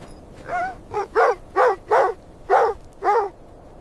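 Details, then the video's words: Puppies and their mother dog playing happily in fresh white snow; six short, high yapping barks with clear harmonics, spaced roughly half a second apart, against a quiet background. "Beautiful puppies playing with mother dog on snowy ground – Dog barking sounds"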